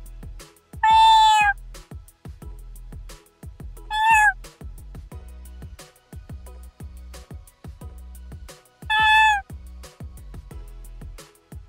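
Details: Series of domestic cat meows, three separate loud meows spaced several seconds apart, each short and slightly falling at the end, played over steady beat-driven background music.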